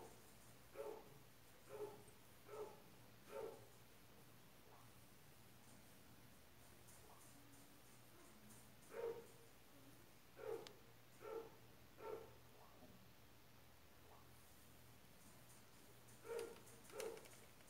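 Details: Young white-eared opossums from a litter in Mococa and Pitangueiras give brief harmonic mid-pitched calls in bursts: four evenly spaced, a pause, four more, then two near the end, with a quiet low hum throughout.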